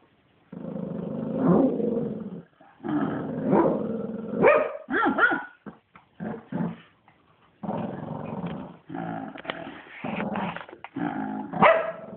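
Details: Shih Tzu growling at playtime in long, loud rough bursts, breaking into yappy barks and snarls mid-clip before more growling.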